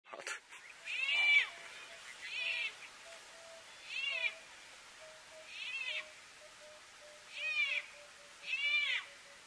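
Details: Leopard carrying a small cub: a series of thin, high, cat-like mews repeated roughly every one and a half seconds, each a short rising-then-falling cry, over a steady faint low hum.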